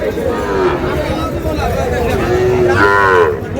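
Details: Sahiwal bull at a busy cattle market bought by a Dhaka farmer: a short harmonic lowing call rising and falling near the end, over steady crowd chatter and bargaining voices.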